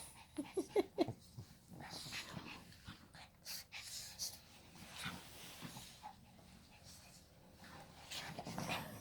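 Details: Pet Shih Tzu giving a quick run of short, whimpering yelps in the first second, then soft breathing and sniffing puffs, with quiet human speech in the background.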